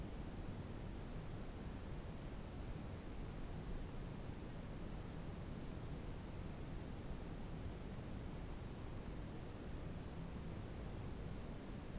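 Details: Only a steady broadband hiss fills the recording, with no animal sounds heard.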